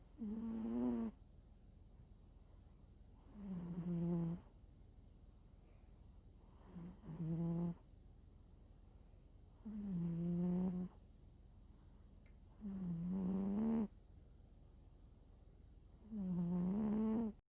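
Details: House cat fast asleep and snoring, too soundly asleep to be moved from the bed. Six to seven droning, tonal snores arrive every three seconds or so, each gently dipping in pitch, with near-silence between breaths.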